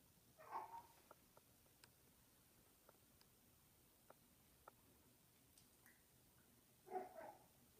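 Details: Loki, a male Munchkin cat indoors, gives two short, soft chirping calls with a mid-pitched, slightly trilled tone, one near the start and one near the end, separated by quiet room tone and faint ticks.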